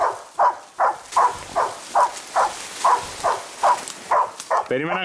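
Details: One-year-old Labrador Retriever Ektoras, in search and rescue training at a Thessaloniki canine centre, gives a steady run of about eleven evenly spaced barks, roughly two per second, before a human voice breaks in at the end.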